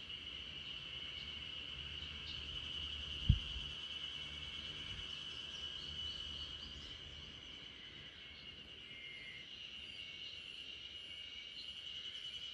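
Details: Spring cicada chorus filling a backyard while RunRun, a female Great Pyrenees, sleeps; constant shrill high-pitched drone, one sharp thump near three seconds, the sound easing slightly in the second half.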